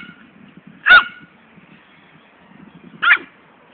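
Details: Female poodle Fani at play, chasing a ball, lets out two clear, bright barks about two seconds apart against a quiet, faintly humming background.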